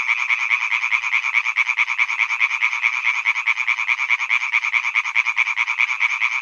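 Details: Male European tree frogs croaking in a pond at Hyby Fælled: a dense, continuous chorus of rapid, regular, rattling pulses, high-pitched and steady throughout, with no other sounds audible.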